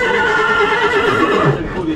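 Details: Horse at a horse market in Uzbekistan where horses are being sold, giving a drawn-out, tonal whinny-like call with layered harmonics over steady crowd murmur and men talking prices.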